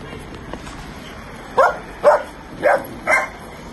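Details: Komondor at a trip to the groomer, giving four sharp barks about half a second apart over steady background hum, after people exchange goodbyes.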